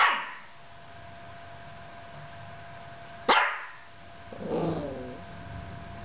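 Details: Yorkshire Terrier alone with a camera indoors: two sharp barks three seconds apart, followed by a softer, lower grumbling whine, against faint steady room hum.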